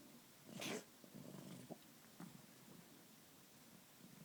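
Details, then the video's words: Sick pet cat, male, coughing: a brief harsh snort-like burst against steady background hiss, followed by weaker rasping breaths and a couple of small clicks. "My cats bad cough-sounds bad"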